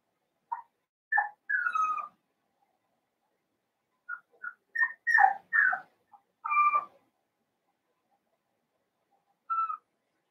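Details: Blenheim Cavalier King Charles Spaniel puppies, seven weeks old, in a home puppy pen from a litter of five. Short high tonal whines and yips come in scattered bursts, some sliding downward, with quiet gaps between.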